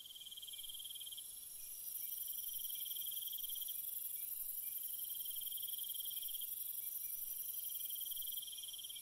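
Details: Crickets calling through the night, continuous high-pitched chirping in long pulsed phrases with an even shriller insect drone overhead, nothing else audible.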